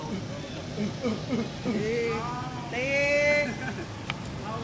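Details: Monkey from the Savanna group living free in a Cambodian village, a baby playing near its mother; a long, clear, tonal cry rises then holds steady, after shorter arched squeals, over a low rumble of engine noise and background chatter.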